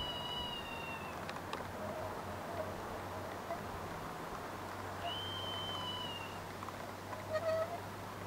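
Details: Red squirrel giving meowing cries on 26 August 2023: a faint high mew at the start, then a clearer drawn-out whistled note in the middle, a short note near the end, all soft against a constant low droning hum.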